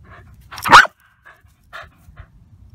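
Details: A 2-year-old Welsh Terrier at a terrier rescue, obsessed with playing with his big blue ball, lets out one sharp loud bark, followed by a few faint soft vocal sounds and quiet rustling.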